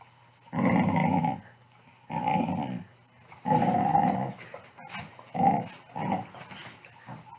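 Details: Playful growling from a Pit Bull, heard as a series of rough, throaty growls, each about half a second long and a second or so apart. The last few are shorter and quieter, and the room is otherwise still.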